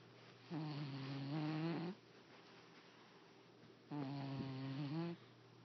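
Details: Sleeping male house cat snores in two long, steady, low-pitched harmonic rumbles about three seconds apart, with quiet breathing between them in a small indoor room.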